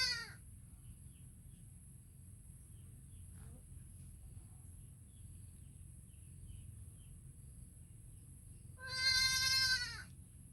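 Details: Baby goat calling its mother: a bleat cut off at the start, a long quiet stretch with faint distant sounds, then one strong trembling bleat near the end.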